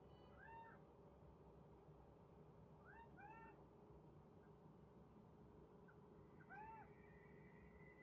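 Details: Kitten reacting to unfamiliar bird sounds, giving soft, short, arched meows: one pair near the start, another pair after a pause and a single one near the end. Steady low background hum throughout.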